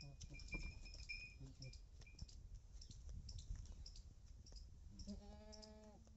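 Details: Pregnant female Beetal goat in Punjab lets out one wavering bleat near the end, preceded by a stretch of thin high whistles, clattering and background rumble.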